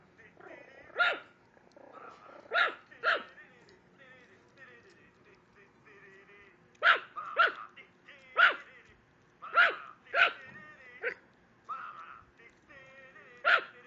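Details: A female Mico Chihuahua pet barking at a computer screen: bursts of high, sharp yaps in irregular runs, mixed with softer whining tones and some faint voices between barks.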